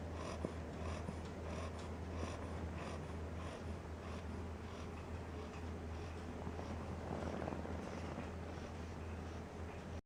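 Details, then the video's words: Solley, a 10-week-old Cocker Spaniel pup, snores while sleeping: gentle, breathy rumbles rising and falling in a steady rhythm, set against quiet background hum in a small room. "Cocker Spaniel Puppy Solley Snoring"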